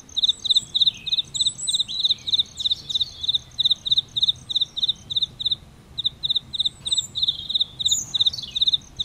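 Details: Cricket near an aloe vera flower calls in quick trilled chirps, each a compact burst of pulses repeated roughly three times a second, while a weaker, higher-pitched insect pulses faintly alongside over a quiet background.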